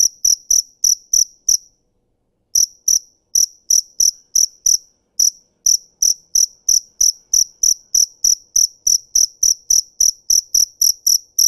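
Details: Cricket chirping: sharp, high, bright pulses repeated about three times a second in steady runs, with one clear pause of roughly a second before the chirping resumes and continues evenly to the end.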